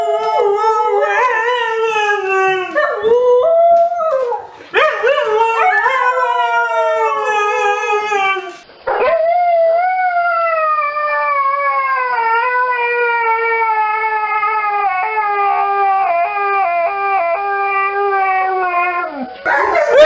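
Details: Siberian Husky puppy howling: long, sustained tonal howls that slide gently downward, with rich stacked harmonics and a few brief breaks between wavering cries.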